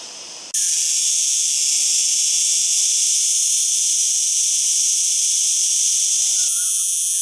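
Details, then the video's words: Cicada song: a brief quieter buzz at the start, then an abrupt jump to a loud, steady, high-pitched drone that continues unbroken, with a slight change in tone near the end. "Cigarra .Datos y Características y sonido."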